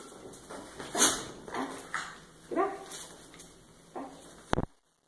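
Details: Pet Miniature Schnauzer Obi Wan at play with his trainer, giving short whimpering whines with bending, arched pitch, spaced a second or so apart over a hissy background, ending with a sharp click.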